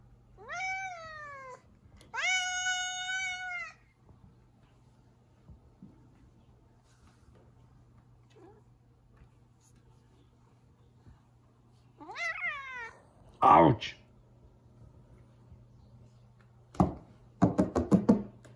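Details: Zefir, a pet cat not in the mood and blocking the way into the kitchen, gives loud drawn-out falling meows with rich harmonics, two early then a third near the end, followed by thumps and scuffling noises indoors.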